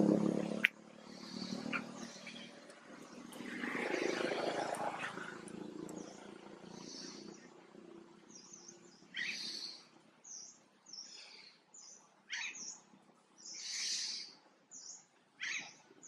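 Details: Young monkey Jinx, scared as mother Jade looks toward her, breaks into short, piercing high squeals in the second half, after a stretch of dull rustling and low noise.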